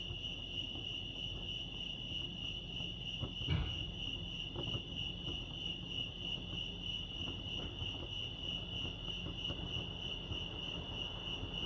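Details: Crickets at Lake Arrowhead, California, sustain a high steady trill; a brief louder click or thump breaks in once near the start, with low rumble underneath.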